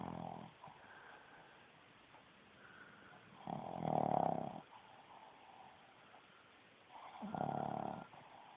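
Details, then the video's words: Female Boston Terrier asleep indoors, snoring loudly through her little snout: coarse, buzzing snores of about a second each, spaced three to four seconds apart, with soft breaths in between. "Boston Terrior snoring loudly"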